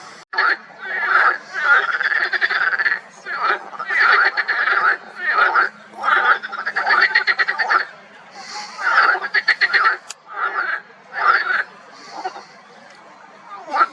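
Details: Marsh frogs croaking in a pond in spring: loud, rapid rattling bursts of pulses, each lasting roughly half a second to a second, repeated in quick succession by several overlapping callers, with short quiet gaps between phrases.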